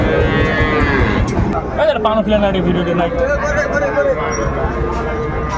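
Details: At a cattle market's closing hours on 27 December 2024, a Sahiwal bull calf gives a sustained moo that opens the clip, followed by wavering lowing under men's bargaining voices.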